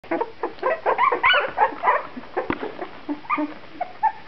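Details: Puppies from Shenna's C litter at two and a half weeks old, eyes newly open and starting to get active; scattered short squeaky whimpers and soft yelps with brief pauses and a couple of faint knocks between them.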